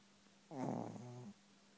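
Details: Chihuahua sleeping soundly: a single low, buzzy snoring breath lasting under a second, over a faint steady hum.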